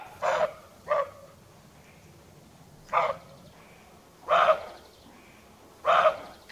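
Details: Roe deer barking, a dog-like call echoing through woods at night in the breeding season, used by males and by females as an alarm; five short harsh barks at uneven intervals of about one to one and a half seconds over faint background hiss.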